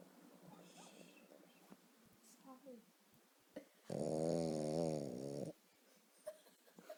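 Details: A deeply asleep female Boston Terrier, perhaps dreaming, lets out one loud, rasping snore with a wavering, throaty tone amid quiet murmured speech; her snoring grows louder.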